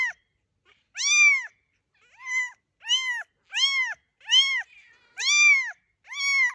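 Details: Kittens mewing in a steady series of seven clear, arched, high-pitched calls, each about half a second long, spaced roughly every second, in otherwise quiet surroundings.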